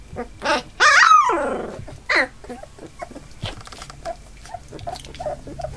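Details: Eight Labrador Retriever puppies nearly three weeks old, newly walking indoors; one loud drawn-out whimper rising then falling in a long tail, a second shorter yelp just after, then faint soft squeaks and rustling.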